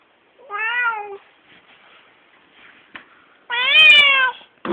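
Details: Siamese cat, male, pet indoors, angry meows: two drawn-out harmonic-rich wails about a second each, the second louder and slightly rising then falling, with a short click and a voice cut in at the end.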